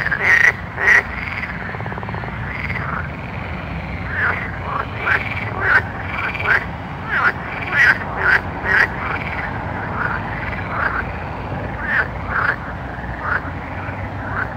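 A frog chorus calls at night, with repeated short croaks over a steady hum.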